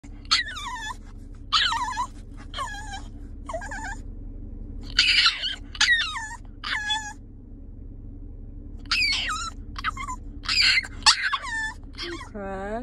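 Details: A French Bulldog left in a car after her owner steps out gives a string of high-pitched whines and yelps, each sliding downward, in quick bursts roughly a second apart over a steady low engine rumble.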